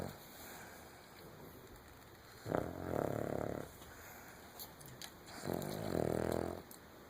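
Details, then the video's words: A Cavalier King Charles Spaniel snoring while asleep indoors, two drawn-out, rough, buzzing snores about three seconds apart, each rising in loudness then cutting off, with quiet breathing between. "Cavalier King Charles Spaniel Snoring"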